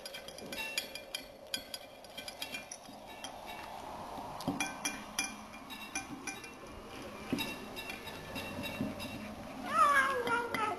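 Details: An 11-week-old Burmese kitten eating chicken, chewing with rapid wet clicks while a low, steady murmuring hum runs underneath, then a brief wavering meow-like cry near the end.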